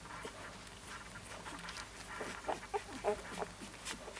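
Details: Siberian Husky puppy giving a few short, high, harmonic yips and squeaks clustered in the second half, with soft rustling and faint background noise between them.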